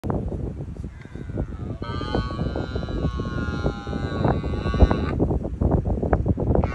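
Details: A red deer stag on the Isle of Arran, Scotland, gives a long, drawn-out rutting roar over heavy wind rumble during the 2023 rut.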